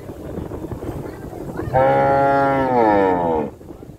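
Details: One steady cow moo, nearly two seconds long, holds an even pitch and then drops at the end, following a moment of low background rumble.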